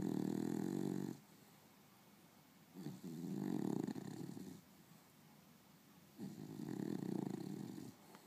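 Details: An afternoon nap for Princess the beagle, heard as steady, raspy snores of one to two seconds each, repeated about every three seconds in a quiet room.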